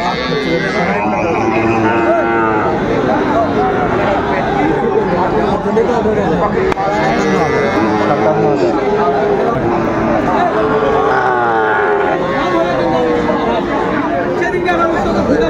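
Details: Market cattle in Kushtia, Bangladesh, 6 May 2024, amid Sahiwal and Friesian bull calves for sale: repeated wavering moos rise and fall through constant buyer talk and crowd noise across the whole stretch.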